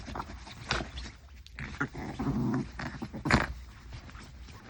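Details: Maltese dog wrestling playfully with a person's hand; a brief throaty growl swells in the middle amid rustling and soft snorting sounds.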